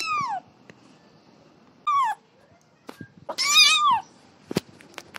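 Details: Little kitten playing, uttering short falling mews followed by a louder, longer wavering meow, with faint clicks and taps between calls.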